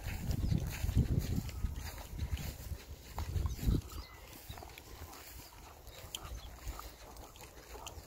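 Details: Buzz, a rescue bulldog, on finding surprise water: rapid, low, rough snorts and grunts come in bursts through the first four seconds, then fade to quieter breathing over faint background noise.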